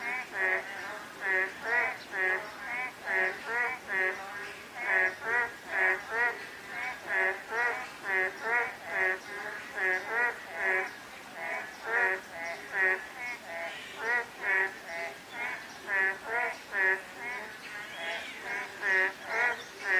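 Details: Frogs calling on a drizzly day: a dense chorus of nasal, harmonic croaks, roughly two or more each second, overlapping in a steady stream over a soft hiss of light rain.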